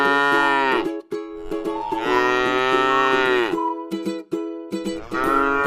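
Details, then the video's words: Grass-eating tame cow in a rice field calls with repeated deep moos. A one-second moo is followed by a longer one of about one and a half seconds, and a third begins near the end. Faint higher notes sound between them. "suara sapi lucu jinak yang sedang makan rumput di ladang sawah"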